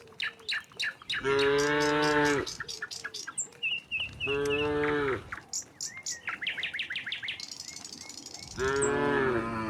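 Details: Tame cattle in a herd strolling from the next village toward the pen: three long moos spaced a few seconds apart, over a steady background of chirping birds.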